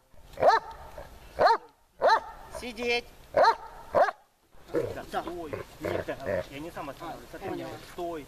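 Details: Tashik, a dog being trained in Horlivka during summer heat on 26 July 2020, lets out five loud, clipped barks at roughly one-second intervals, then falls silent while people talk.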